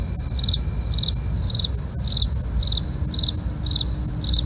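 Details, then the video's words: At night, crickets give sharp, high chirps about every half second against a continuous shrill hum, with low rumbling noise and brief ticking clicks. "night crickets asmr"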